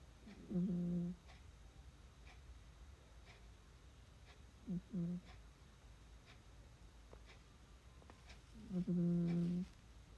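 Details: Noel, a pet dog, snoring while asleep indoors: three low, buzzy, harmonic snores, each about half a second long, roughly four seconds apart, with a quiet room in between.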